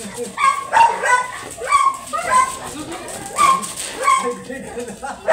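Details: Large yellow Labrador Retriever during a stud service in Manaoag, Pangasinan, repeatedly whimpering in short, high, bending whines over steady human voices.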